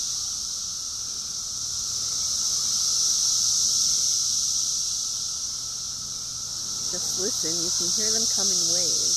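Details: Cicadas during an invasion, a dense droning chorus, high-pitched and steady, swelling slowly louder and softer in long waves; a person's voice breaks in briefly near the end.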